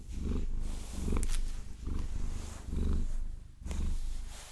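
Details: A Maine Coon purrs as long nails massage it. The deep throbbing rumble rises and falls about once per second, and brief scratchy nail strokes sound above it.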